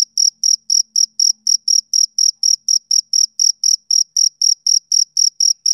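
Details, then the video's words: Summer evening chirping by a male cricket: sharp, high, pulsed notes spaced about a quarter second apart, very even, with a barely perceptible low hum early on. "Cricket Chirping Sound Effect"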